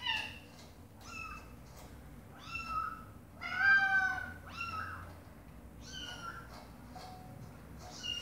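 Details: Domestic cat mother calling to her meowing baby kittens: short rising-falling meows come about once a second, with one louder drawn-out meow near the middle over a quiet constant hum.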